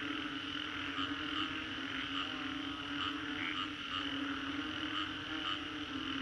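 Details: Green Corridor, Singapore, following a storm: frogs croak in a dense chorus, with regularly spaced short call notes about every second riding over the continuous humming backdrop.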